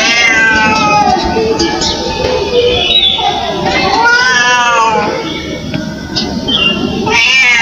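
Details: Indian street cat crying, with repeated wavering, drawn-out meows that rise and fall and overlap across the whole stretch, set against steady loud broadband background noise.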